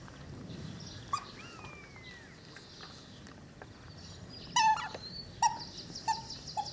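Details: Twelve-week-old Cane Corso puppies from Axa and Bullet give a thin rising-and-falling whine early on, then short sharp yelps near the end. Small birds chirp in the background over steady outdoor noise.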